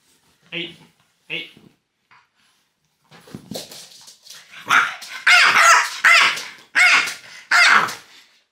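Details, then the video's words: Loki, a French bulldog, reacting angrily to fingers pointed at him: a few faint early sounds and a pause, then a run of loud, harsh barks about once a second toward the end, with human voices mixed in. "WHAT POINTING FINGERS AT DOG CAN DO"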